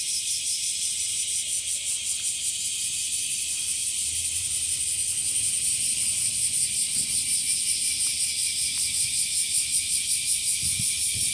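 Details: Bear cicadas, locally called washiwashi and growing in number, singing from trees and also from grass: a dense, high, buzzing chorus throbbing in steady pulses, roughly two and a half per second, getting slightly louder toward the end.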